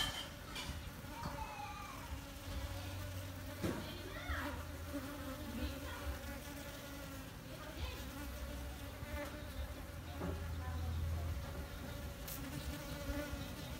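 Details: Honey bee buzzing filmed on a D610 full-frame camera: an unbroken, even-pitched drone with soft overtones, broken by scattered clicks, a sharp tap near four seconds and faint rustling.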